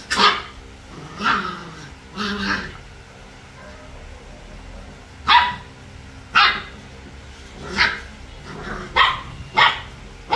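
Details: Three-week-old puppies at play, giving short sharp yips and barks in quick bursts, roughly one every second, with quiet gaps between the clusters.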